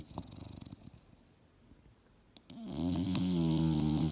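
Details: Mildred, an English Bulldog dozing on a couch and dreaming, breathes softly with small snuffles before one long, deep, rattling snore builds and fills the final second and a half.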